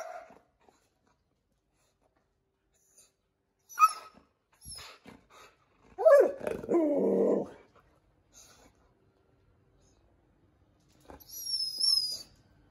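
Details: Siberian Husky indoors, given boiled eggs and eating them shell and all. Short throaty growls and a whining, falling moan in the middle, then a few thin high squeaks near the end, with quiet gaps between.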